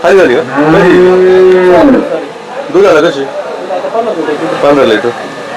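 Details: A native desi cow at the Chakan cattle market on Saturday, 3 January 2026, gives a steady, level moo lasting about a second, with short bellows following. Men haggle over prices and market chatter runs throughout.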